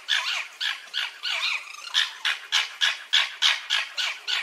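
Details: Red fox giving a fast series of harsh, raspy yelps, about three to four per second, each a short, bright burst with an abrupt onset. The first few are more drawn out and squealing.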